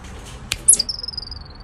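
A chipmunk gives a sharp, high chip and then a thin, steady whistle that slowly falls, warning of danger.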